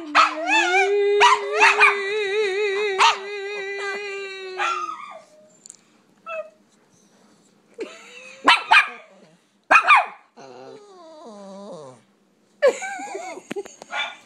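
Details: A sustained quavering howl from pet pups, then scattered sharp barks and short yips separated by quiet pauses, ending with a rising whiny yelp.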